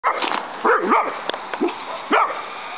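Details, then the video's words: Maxi, a pet dog, barks frantically outdoors at a toy helicopter being flown; a quick run of sharp, pitch-bending barks and yelps in bursts, with steady background whir. "Dog VS Hellicopter"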